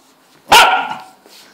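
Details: An English Cocker Spaniel female, in a bad mood, gives one sharp, harsh bark while protecting her food.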